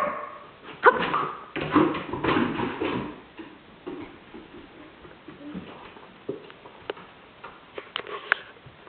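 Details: Stroszek, a 15-month-old Border Collie at home, barks on the command to speak: a burst of loud, rough barks and yips over the first three seconds, then quieter whines and scattered clicks as play continues indoors.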